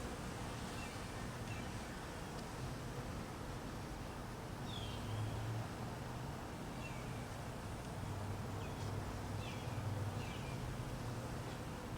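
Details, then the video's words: Hungry honey bees being fed in cold weather, their low droning hum steady throughout and swelling louder in patches, with brief high bird chirps scattered above and a broad rushing background noise. "Honey Bees"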